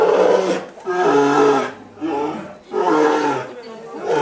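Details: Twin male polar bears in a Japanese zoo enclosure, Obihiro, filmed 27 February 2010 in the morning while one warns the other away: three loud, rasping, open-throated roars, each about a second long, with short silent gaps between.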